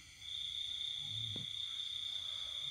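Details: A cricket calls in the countryside at night during the pandemic: an unbroken, shrill, even trill held for the whole stretch, with one soft knock and a low background hum.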